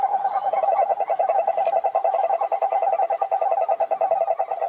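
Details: Toad croaking in a steady, fast pulsed trill, mid-pitched with bright overtones, the rattling pulses running without a break for nearly five seconds; faint higher chirps appear early.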